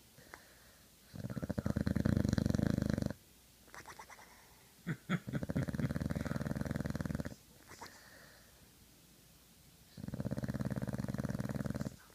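An Old English Bulldog snores in long, rattling, low-pitched bursts separated by quiet pauses.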